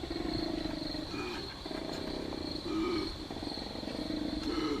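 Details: Male koala bellowing at night, head thrown back, the sound reverberating through the bush of a sanctuary property: rough, snoring inhalations alternating with deeper resonant belching phrases, a constant high insect drone behind, played back as a recording.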